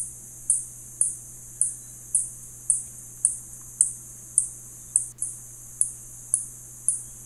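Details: Spotted bat giving evenly spaced sharp, high ticks, around fourteen of them at about half-second intervals, with a low steady hum beneath and little else.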